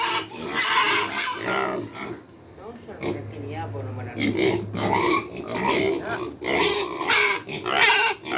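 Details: Farm pigs hungry at feeding time keep up a chorus of shrill overlapping squeals and grunts. A low steady hum is heard briefly in the middle.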